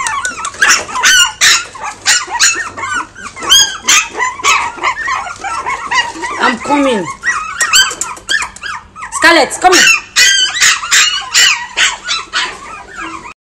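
A Lhasa Apso gives rapid, high yappy barks mixed with a few sliding whines.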